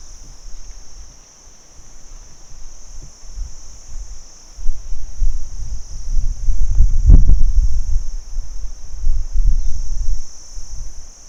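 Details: Daytime crickets keep up a continuous shrill, even trill from start to finish, while deep rumbling noise swells in the second half and a sharp knock sounds around seven seconds.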